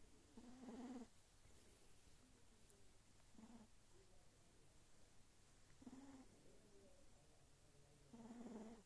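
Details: Sphynx kitten snoring while asleep: four soft, rasping breath snores with a low buzzy tone, each about half a second to a second long, spaced roughly every two and a half seconds in a quiet room.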